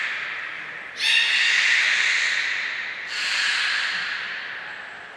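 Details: Belugas Hodoi, Gray, Nana and Niko training at Port of Nagoya Public Aquarium on 5 June 2021. Two long, breathy, hissing calls with layered overtones, the second starting about two seconds after the first, in a reverberant indoor space.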